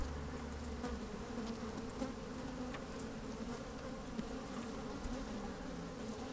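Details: Microphone lowered into an open hive catches honey bees moving about on a fine sunny day: an even, layered humming drone, brief wind rumble at the start, scattered ticks and short buzzes over the steady tone.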